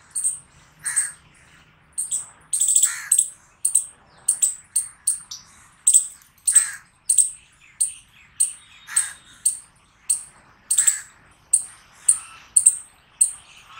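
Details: Chipmunk chirping rhythmically: bright, high chips repeated roughly every half second, occasionally doubled or quickened, with soft lower overtones and a quiet background.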